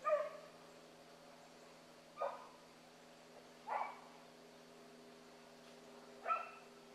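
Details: Young hounds chasing a rabbit in the morning, with pups named Ringo, Mingo, Choco, Boone and Dino. Four separate ringing bays sound about two seconds apart against a quiet background with a faint steady hum.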